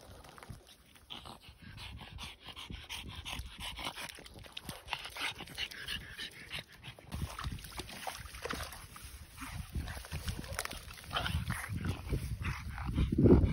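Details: A Boston Terrier pants hard to cool down in April 2024 on an overly warm 18-degree day, quick breathy huffs repeating several times a second with a snuffly, wet edge, broken by occasional soft whimpers and snorts.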